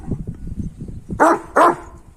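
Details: Kangal dogs, males pursuing a female dog: low murmuring and rustling, then two loud, sharp barks about a third of a second apart.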